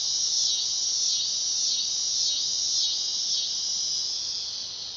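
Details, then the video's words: Dog-day cicada producing a shrill, continuous metallic buzz with gentle wavering swells roughly once a second, fading a little toward the end; nothing else stands out. "Cicada sound / call / noise | Dog day"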